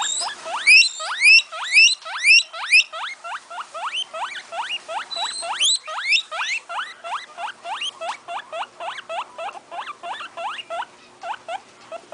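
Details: Guinea pig (Cavia porcellus) gives a wheek call, a rapid series of shrill, upward-sweeping squeaks, several each second.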